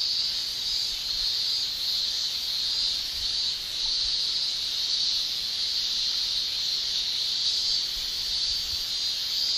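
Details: Male cicadas shrilling in a Japanese summer, their tymbal song forming a steady, dense high-pitched drone that holds without a break, with a faint hiss of rustling underneath.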